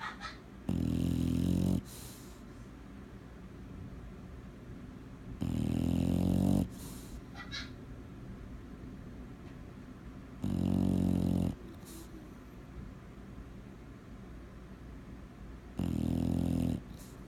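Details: Sleeping bulldog snoring: loud, harsh, rasping inhalations about one second long, repeated roughly every five seconds, with quieter wheezy breathing and small snorts between them.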